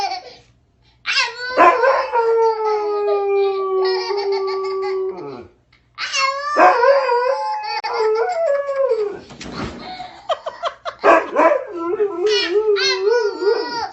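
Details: Indoors, a domestic dog answers a baby's howling with a long level howl that slowly sinks in pitch, then a pause and a run of shorter wavering yips and whimpering howls, rising and falling.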